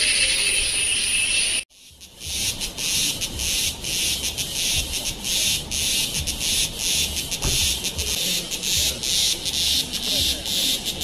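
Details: Cicada calling in Kodaikanal and Thekkady, India, 2014: after a short steady drone and a break, a loud high buzz pulses in rapid rhythmic bursts, roughly two per second, over faint low background noise.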